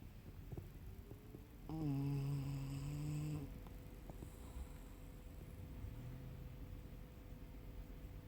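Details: Tucker, a male Yorkshire Terrier traveling in a van/RV, snores in his sleep: one long droning, humming snore of about two seconds with a steady low tone and bright overtones, then quiet indoor room hum.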